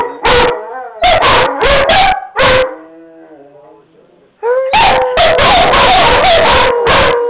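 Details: Tanner and Buddy, two pet dogs, howl after being coaxed by their owner; short loud barks and yips alternate with drawn-out rising and falling howls, a quieter wailing stretch in the middle.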